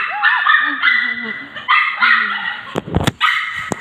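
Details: Excited Pomeranian puppies greet their owner, who has just returned after several days away, with bursts of high, rising and falling yips and whines. A person talks over them.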